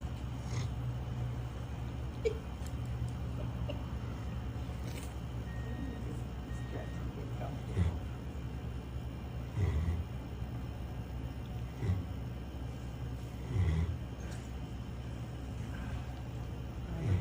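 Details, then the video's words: A dog snoring: soft, low rumbling breaths swelling roughly every two seconds over a steady low hum, with faint background noise. "Snoring dog"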